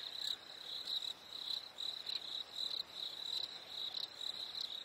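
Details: Crickets on a warm summer evening: short, high, evenly pitched chirps pulse in quick bursts, roughly once a second, over a soft hiss of background night noise.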